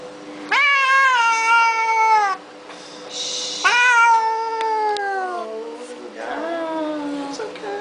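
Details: Domestic cat crying while given a flea bath, two long drawn-out wailing meows each about two seconds, slowly falling in pitch, then a softer third cry, with people talking nearby.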